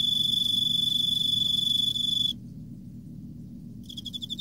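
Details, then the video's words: Autumn song of an Emma field cricket: a bright, high, unbroken trill runs for over two seconds and stops abruptly. A short silence follows, then a few pulsed chirps begin near the end. "エンマコオロギ 秋 綺麗な鳴き声"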